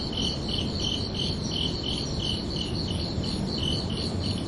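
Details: Nighttime cricket chirps, bright and ringing, coming in quick regular pulses, about three each second, above a muffled low-frequency rumble.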